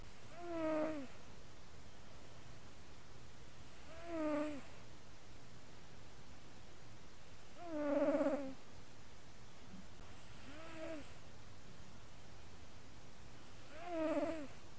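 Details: Cougs the cat snores and purrs in his sleep, a microphone resting on his chest; five rhythmic, harmonic, downward-curving snoring breaths recur roughly every three to four seconds over a faint low rumble.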